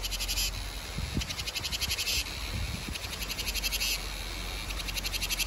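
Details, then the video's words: Summer cicada chorus: trains of rapid pulsed buzzing that swell and fade in short bursts throughout, with faint low thumps beneath. "Tiếng ve gọi hè | Tiếng ve sầu gọi hè"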